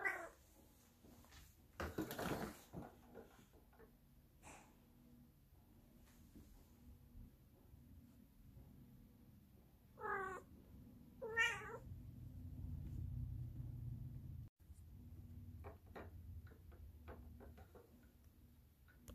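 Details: Female Bengal cat meowing, said to be desperate to get to Las Vegas: two short, nasal meows about a second and a half apart, over a low steady hum.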